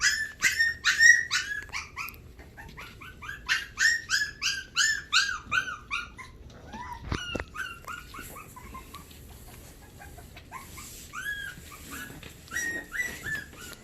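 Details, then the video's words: Havanese puppies, including the youngest pair Buddy and Figgy, still getting used to being away from their mother, recorded 1/20/20: rapid, high arched whining yelps in quick bursts, dense for six seconds, then sparser, softer whimpers. "Havanese Puppies"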